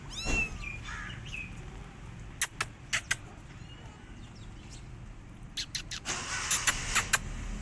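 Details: Hungry rescue kittens, left alone after the mother cat failed to feed them, give one sharp, high mew at the start, then sharp clicks, knocks and a burst of rustling noise near the end.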